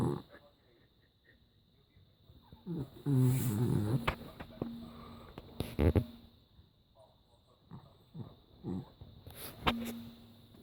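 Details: West Highland White Terrier snoring indoors; a few low, rough, harmonic breaths stand out several seconds apart among quiet stretches, with faint clicks and rustles between them.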